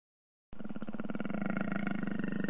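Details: Jaguar roar: a low, gravelly, sustained rumble that begins suddenly after brief silence and rolls on for about two seconds with a rapid, rattling pulse, growing slightly louder toward the end.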